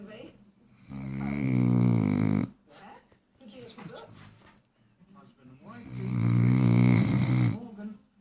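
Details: A Great Dane puppy, 4 months old, snores in long, deep, rumbling breaths with brief pauses between them.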